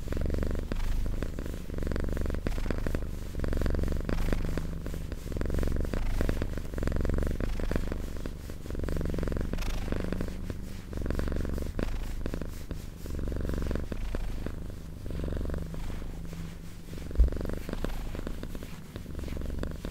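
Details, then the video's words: Softer, steady cat purr recorded closely, a low buzzing rumble rising and falling in short breath cycles, with a single sharp tap near the end. "Purring Cat ASMR"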